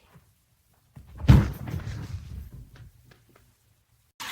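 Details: A sudden thump like a door or cupboard closing, followed by a short rustle and near silence.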